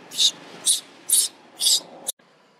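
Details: Baby monkey crying out as its unhappy mother bites it: four shrill, high-pitched screeches, each short and spaced about half a second apart, ending with an abrupt cut to quiet background hiss.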